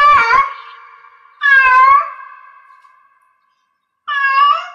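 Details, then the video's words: Cat in heat giving three drawn-out, harmonically rich meows, the first two close together and the third after a pause, each fading into a thin sustained tone; indoors. "Cat Meow Cat in Heats Sounds"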